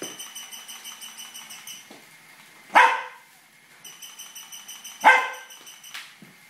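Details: Barking Tibetan Terrier after a toy rat: two abrupt, loud barks about two seconds apart. Between them the motorised toy keeps up a fast, ticking whine.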